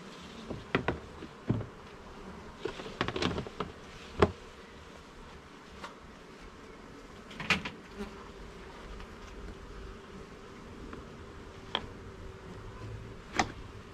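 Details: Honey bees humming inside a garden hive during an inspection of its levels and frames; a steady low drone with sharp knocks and clicks scattered throughout as frames are handled.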